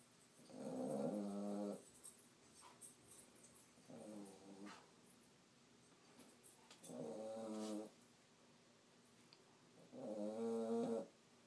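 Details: A sleeping puppy named Diamond snores in four separate harmonic, nasal bursts, each lasting about a second and coming every three seconds or so, with a faint steady hiss in the quiet room between breaths.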